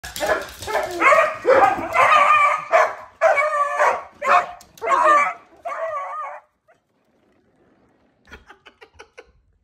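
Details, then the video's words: Beagle with a loud voice barking and baying in a rapid series of harsh, noisy bursts for about six seconds, ending in a more tonal bay, then quiet with faint light clicks near the end. "The life of a Beagle owner"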